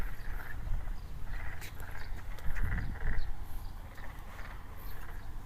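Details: Calling-season frogs in a rice paddy facing a residential district of Takaoka, Toyama, Japan; faint overlapping trills and croaks form a continuous far-off chorus, partly buried by strong low-frequency wind rumble.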